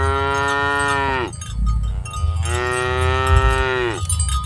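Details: Two sustained cow moos from herded cattle, each over a second long, steady then sliding down at the close. The pause between them carries cowbell jingles and low background rumble.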